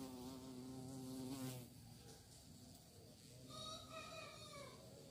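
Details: Bee searching for prey: a loud, steady buzzing drone at first, then a short lull, then a second close pass with a rising, wavering whine that tails off.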